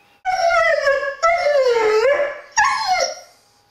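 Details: One-year-old Dobermann Sirius voicing frustration at a closed door that keeps him from greeting visitors; three long, loud, drawn-out whines, the middle one dipping and rising in pitch, the last sliding downward.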